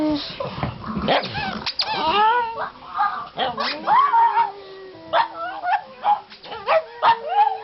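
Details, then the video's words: Three pet pugs, Cosmo the black pug among them, howl while their squeaky toy is squeezed: wavering, rising and falling harmonic howls and whines in overlapping bursts, with a person talking softly between them. "My Three Pugs Hate Toy, Howl While Squeezing Their Toy"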